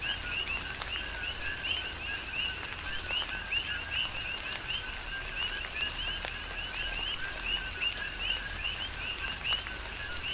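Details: Chorus of coqui frogs during tropical rain, Big Island of Hawaii; many frogs give repeated two-note whistles, low then rising high, densely overlapping every fraction of a second, with continuous rainfall and drips beneath.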